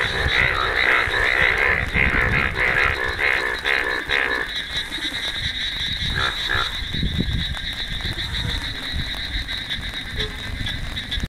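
Indian bullfrog giving a run of rapid, rough, pulsing croaks over a steady insect-like drone.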